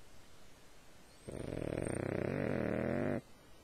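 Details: A dog snores in its sleep: after quiet breathing comes a single long, fluttering snore of about two seconds that swells slightly before stopping abruptly.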